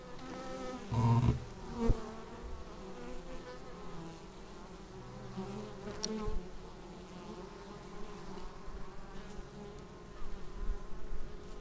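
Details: Honeybees arriving at their hive, recorded on a Xiaomi Yi action camera: a dense, steady buzzing drone of many wings with overlapping humming tones, a loud close pass near the start and brief sharp clicks.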